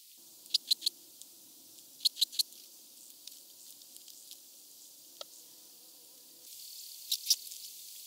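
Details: Red band-winged grasshopper at Mörnsheim, Germany, 14 July 2023, giving clusters of two or three crisp high clicks, groups repeated a few times over several seconds with a faint low hum underneath.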